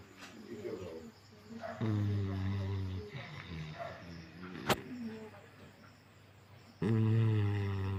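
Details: Asleep, a Golden Retriever lets out two deep, rattling snores about five seconds apart, each a sustained low drone, while a person talks quietly in German in between.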